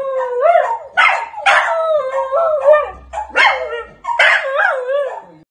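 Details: Dog in full howl, mixing wavering sustained notes with bursts of harsh, bark-like yowls, four or five loud phrases in a row before trailing off into a faint low whimper.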